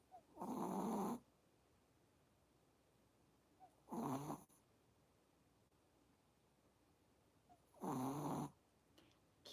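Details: A sleeping Chihuahua snores loudly in three rasping bursts, each about a second long and roughly four seconds apart, heard during a quiet spell of a live stream, like an old man's snoring.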